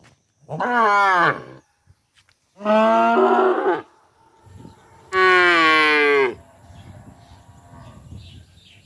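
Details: Calf giving three loud harmonic moos, each about one to one and a half seconds long and evenly spaced, with faint background rustling and noise between calls.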